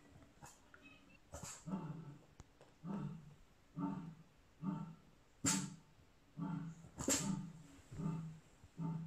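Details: A Boston Terrier puppy seeing a lion for the first time gives short, gruff woofs, repeated roughly every second in a steady series.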